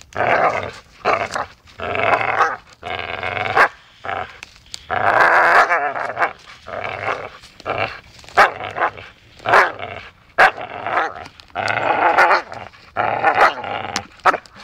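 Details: Dachshund playing and biting, loud rough growls and snarls in rapid bursts, with occasional sharp bark-like yaps mixed in.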